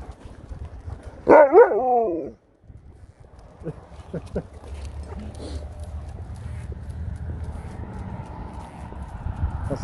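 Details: Dog on an outing to Tintagel Castle gives a loud, brief harmonic bark-whine early, then quiet steps and low wind rumble for the rest.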